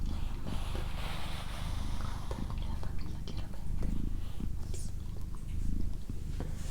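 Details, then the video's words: Female cat Doroti keeps up a low, even purr with breath-paced swells, accompanied by faint rustling, clicks and a little soft whispering close by. "ASMR Cat Purring"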